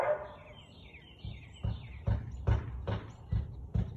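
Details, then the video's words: Siberian Husky barking at 4:17 pm on 13 March 2021, a run of short, thudding barks repeated roughly every half second in the second half, with thin bird chirps overhead early on. "Husky barking"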